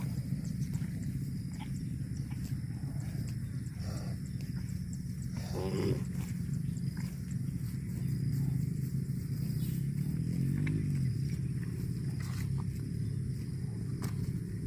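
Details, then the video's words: Cow mooing: a low, drawn-out moo with a rising and falling contour near the end, over a steady low rumble of background noise. "CUTE AND FUNNY COW SOUND VIDEOS COMPILATION"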